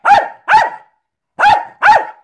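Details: Performing tricks, Jack Russell terrier Milo barks in two pairs of loud, sharp barks separated by a short pause.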